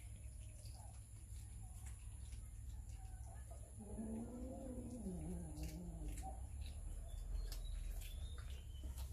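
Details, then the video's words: Cats and kittens eating raw fish, filmed with a Samsung Galaxy S9 Plus: after quiet chewing sounds, a drawn-out low yowl rises and then slides downward over about two seconds, with clicking mouth noises throughout. "Cats eating raw fish - Kittens eating fish"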